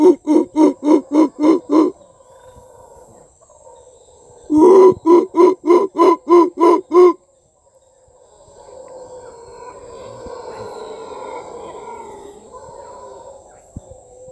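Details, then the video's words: Howler monkey recorded on a property in Costa Rica: two bursts of loud, rhythmic guttural pulses, about three per second, separated by a pause, then a softer, drawn-out rumbling roar in the background. "Voice of the howler monkey"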